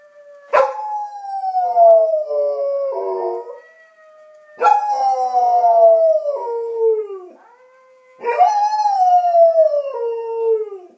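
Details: Mixed-breed German Shepherd Collie dog howling in reaction to the sound of wolves; three long howls, each starting with a sharp rise then sliding slowly downward with stepped breaks, spaced about four seconds apart, a faint steady tone between them.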